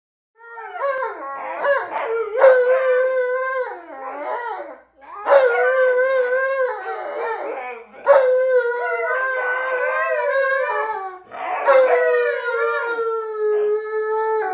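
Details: Tonka and Monroe, two pet snow dogs, 'share New Year's resolutions' in a drawn-out, wavering howl-talk: four long vocal bursts with rich overtones, pitch bending up and down, separated by short gaps.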